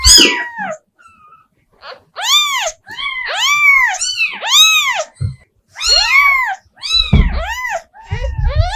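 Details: House cat calling repeatedly indoors: clusters of short, bowed meows that climb and drop, several strung close together between short silences, with occasional low knocks and handling noises.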